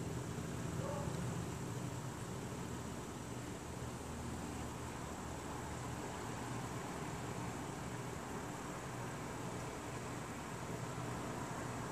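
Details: A steady low hum of engine or fan noise fills the recording, with no animal voice.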